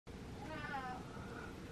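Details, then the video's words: Bossy pet cat demanding attention indoors: a single drawn-out meow with stacked harmonics, rising then falling over about half a second, above a low steady hum, followed by a person saying a short word. "Cat Demands Attention"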